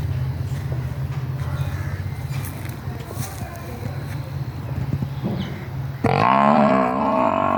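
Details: Female water buffalo, missing her newborn calf, lets out a loud, wavering, rough moo near the end. Before it comes a long stretch of low droning background noise.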